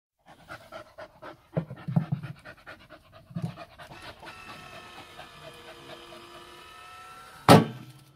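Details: Pet dog waiting at home for a tennis ball launcher to throw, panting in quick rhythmic huffs, then mechanical whirring from the launcher building up before a sharp loud thump as the ball fires.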